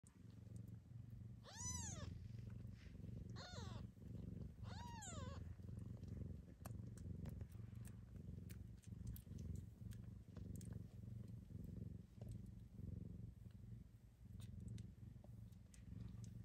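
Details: One-week-old Seal Lynx Bengal kittens purr with a steady low rumble throughout; three short, high, sliding mews rise and fall near the start, with faint clicks scattered over the purring.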